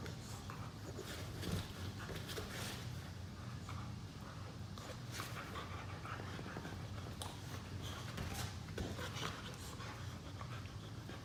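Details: Two pet Boxer dogs in lazy play on a couch after chasing each other, with a tug of war. Soft breathy panting runs throughout in quick noisy bursts over a low steady rumble, with occasional sharper rustles.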